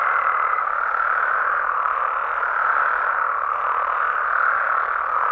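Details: Mexican frogs at night producing a continuous, dense croaking chorus; a brief steady higher note sounds in the first half second before the massed calling carries on alone.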